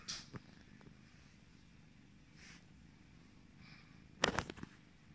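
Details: Pumpkin, a yellow British Shorthair cat, purring as a low, steady rumble running quietly through the whole recording indoors, broken near the end by a brief loud rustle or thump.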